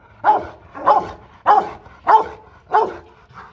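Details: Aggressive Rottweiler giving threatening barks at another dog: five strong, evenly spaced barks about every 0.6 seconds, with quiet gaps between them.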